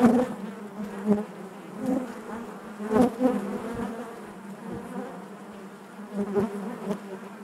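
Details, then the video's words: Honey bees buzzing inside their hive: a dense, steady droning hum with a low fundamental and stacked overtones, swelling in loudness every second or so as bees pass near, with faint clicks and knocks. "bees therapy hive natural buzzing sound"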